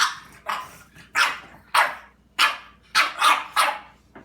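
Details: Dog confronting a cat indoors: about seven sharp, noisy barks in four seconds, delivered in uneven bursts with short pauses between them.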